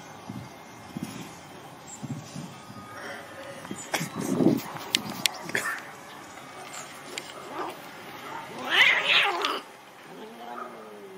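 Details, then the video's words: Domestic cats fighting, with scattered yowls and wails, a louder rising-falling yowl near the middle and a harsh, strained caterwaul burst around nine seconds, amid clattering knocks and background noise. "Cat Fight"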